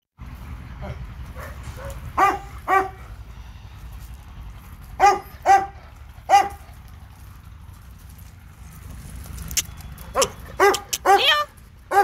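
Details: Labrador Retriever named Leo on a visit to a dog park, outdoors: scattered sharp harmonic barks, single and paired, with a quick burst of several barks near the end over a steady low background hum.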